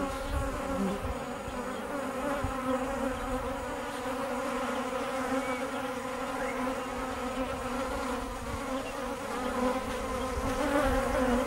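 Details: Bees kept by their owner, a steady humming buzz with a low tone and stacked harmonics, slightly wavering in loudness and continuous throughout.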